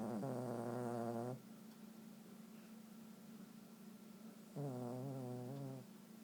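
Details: A sleeping dog snores in two long, droning, voiced groans, each lasting more than a second and about three seconds apart. A quiet background hum is heard between them.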